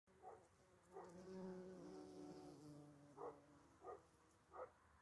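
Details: A bumblebee among obedient plant (false dragonhead) flowers buzzes low and steady, its hum swelling and fading as it moves about.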